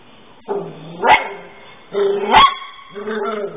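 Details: A dog that has learned to climb the stairs but cannot get back down gives two short, sharp barks about a second apart, followed by a softer, whining bark.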